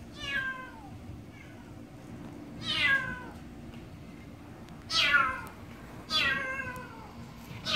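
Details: Stray black cat Kkamangi, healthy in the summer heat, calls with loud, clear meows that start high and slide downward, five of them spaced one to two seconds apart against a quiet background.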